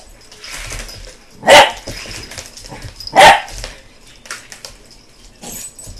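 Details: BooBoo, a pet American Bulldog puppy, barking at a helicopter: two loud, sharp barks about one and a half seconds apart, with softer rustling and faint noises between them.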